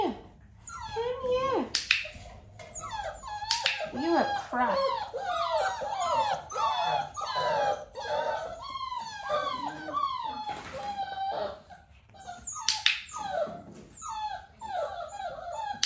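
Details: Dalmatian pups close to six weeks of age during clicker training, mother Arya with them; dense, overlapping high whines and squeals sliding downward, pulsing roughly every second, broken by sharp clicking bursts near two, thirteen and fifteen seconds.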